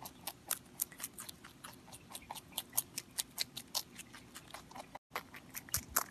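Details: Pontan the rabbit eating, heard up close: crisp crackling bites at an uneven quick pace, a short silent gap, then more loud crunches.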